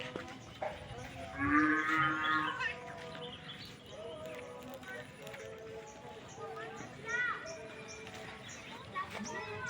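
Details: Cows grazing outside a farm; a low, drawn-out moo rises out of the mix early on, with a shorter lowing call later, over background music and faint talking.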